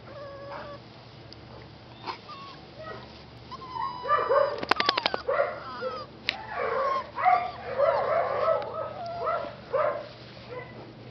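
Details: Rescue dog puppies with their mother, in a rescue's care; a busy overlapping run of high whimpers, yips and whines, sparse at first then dense from about four seconds on, with a few sharp clicks.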